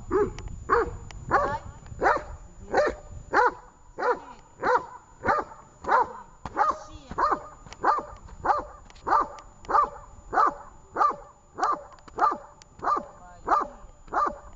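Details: At a Horlivka training session on 18 August 2019, the dog Tash keeps up a long, very regular run of sharp barks, roughly one every two-thirds of a second, over twenty in a row, loud and unbroken.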